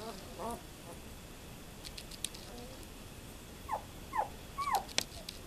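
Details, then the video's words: Twelve-day-old German Shepherd puppies, born to Fan-Widi's HIPPI and Koby von Fidelius, recorded 18 November 2012; faint high squeaky whimpers, a brief one early, then three rising-falling squeals in quick succession near the end, over soft background hiss and occasional clicks. "Schæferhvalpe 12 dage"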